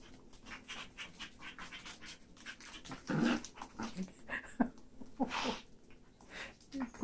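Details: Toy poodles, three females, two chocolate brown and one black named Abbey Ann, romping with their toys indoors; short low growly grunts break out amid panting and the clatter of play, with a person's voice faintly present.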